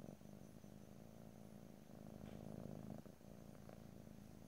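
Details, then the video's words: Domestic cat purring in a close stereo ear-to-ear recording with no talking: a steady low rumbling vibration, swelling slightly louder near the middle, with faint clicks above. "ASMR Cat: Purring"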